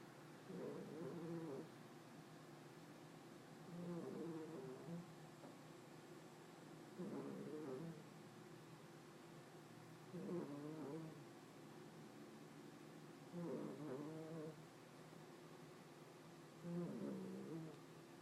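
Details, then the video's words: Deeply sleeping female cat snores in a steady rhythm, a gravelly rasping breath about every three seconds, each lasting around a second, in a quiet indoor room. "My cat Hopey having a good snore"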